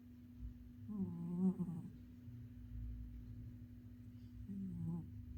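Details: Oyen the cat snores softly indoors, giving two low, rough, droning breaths about three and a half seconds apart, with a constant low hum underneath.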